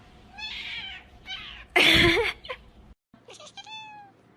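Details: Domestic cat meowing: two short wavering meows, then a loud broadband crash, a brief silence, and a clear tonal meow that rises slightly and then falls.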